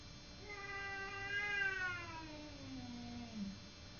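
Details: House cat squaring off against a neighbour's cat: one prolonged whining yowl that rises slightly, then sags steadily lower into a short growling tail, against a quiet hissing background.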